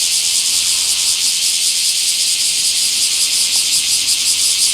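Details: Bear cicada in a small park, 24 July 2026, giving a loud, high, continuous hissing buzz with only faint pulsing, steady from start to end.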